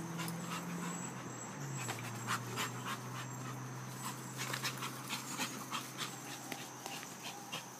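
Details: American Pit Bull mix shelter dog, about 40 pounds, medium energy, playful, in a yard; rapid rhythmic panting over a steady low hum, with scattered clicks and outdoor noise.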